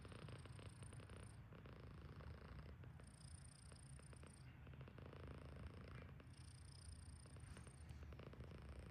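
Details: Cici, a female pet cat stretched out asleep, snores loudly: a continuous low rumble that swells with each breath about every one and a half seconds, with a thin high whistle on alternate breaths.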